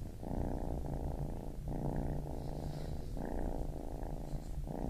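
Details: Close, loud purring of a baby kitten, deep buzzy rumble broken by short gaps at each breath, about five phrases in quick succession.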